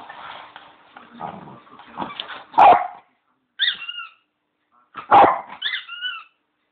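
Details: Pet Bichon Leo playing with his squeaky bone, giving two strong barks about two and a half seconds apart, each followed by bright twin squeaks of the toy, with soft rustling between.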